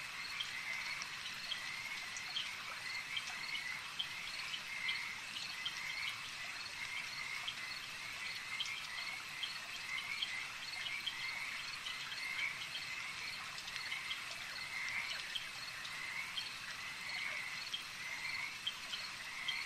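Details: Frogs calling at a lake at night-style ambience: a dense chorus of short, rapidly repeated pulsed notes forming a steady high band, with a fainter higher trill layered above and no other clear sounds.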